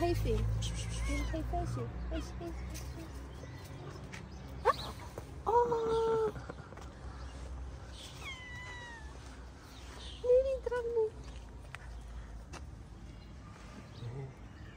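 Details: Homeless street cats in a Moroccan mosque garden, always hungry, with a few short bending meows around the middle and one near eleven seconds, mixed with a man's speech and background rustling.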